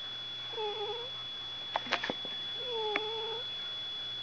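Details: Pet cat just woken up indoors, giving two drawn-out wavering yowls, each about half a second long, separated by a burst of clicks and knocks, with a constant high electronic whine in the background.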